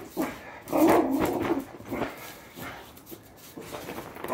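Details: Patterdale Terrier growling during tug of war training play: a rough, throaty rumble swelling for about a second after a brief softer sound, with quieter scuffling and low noises afterward.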